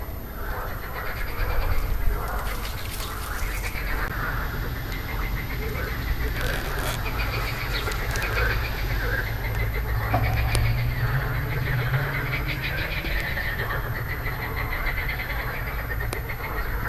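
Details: Marsh frogs (Pelophylax ridibundus) croaking on 2 June 2013, grey vocal sacs inflated; a dense chorus of overlapping rattling, pulsed croaks that rise and fall without pause over a steady low rumble of wind.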